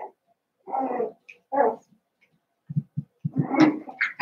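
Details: Indoor pen holding Daisy's Cavalier King Charles Spaniel puppies, seven weeks old: two drawn-out whining yelps, then a run of low, quick grunting barks building into a rougher, louder outburst with higher squeals at the end.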